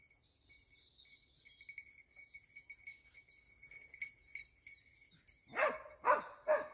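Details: A Dachsbracke being trained for wild boar hunting gives three loud, hoarse barks in quick succession after a stretch of high, thin ringing.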